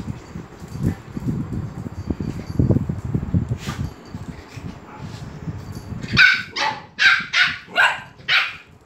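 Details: At Phuket Dog Resort, dogs get excited as Fendi the Pomeranian comes in. Murmuring background noise gives way to a run of six loud, evenly spaced yapping barks near the end.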